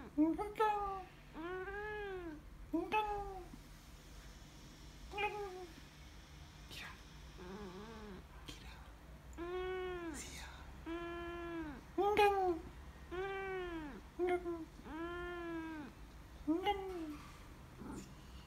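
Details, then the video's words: White Siamese cat talking: a series of arched, drawn-out meows, rising then falling in pitch, some short and some long, coming every second or two over a steady low hum. "White siamese cat talking"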